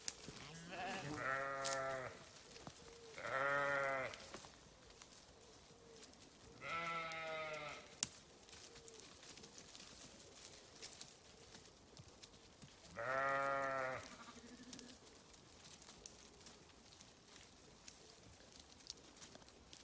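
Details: Four quavering sheep bleats spaced a few seconds apart, each about a second long and harmonically rich, separated by quiet stretches with light background hiss.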